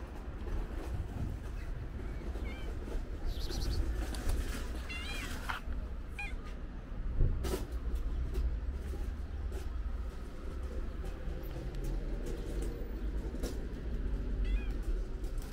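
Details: Calico stray cat, pregnant, outside a market, meowing in brief wavering high cries scattered across fifteen seconds, a few clustered early and one near the end, with continuous low street rumble and occasional knocks beneath.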